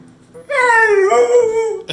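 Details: Young male pit bull whining about food, a long drawn-out tonal whine lasting over a second, dipping then holding steady with rich overtones, starting abruptly after a short quiet lead-in.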